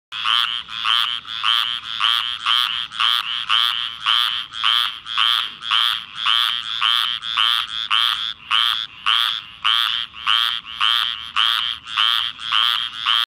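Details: A squirrel tree frog in Forrest County, Mississippi, gives a raspy, duck-like note, repeated steadily about twice a second.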